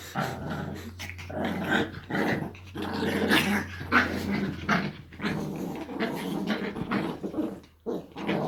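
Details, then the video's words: Chihuahuas Jessie and Eva wrestling in play: a loud, nearly unbroken stream of gravelly growling that rises and falls, with grunts and snorts mixed in, over a steady low indoor hum. "Чихуахуа чихают играют"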